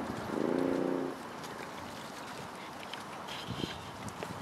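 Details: Pups play and explore around their den. A short, high, quavering whine lasts about a second, followed by soft rustling and scratching in the den.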